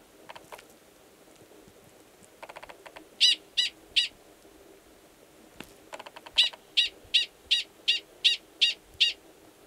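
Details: Gunnison's prairie dog male sounding his mating call in March at Valles Caldera National Preserve, New Mexico, prior to mating with an estrous female below ground; faint clicks, then a brief trio of loud chirps and a steady run of eight more.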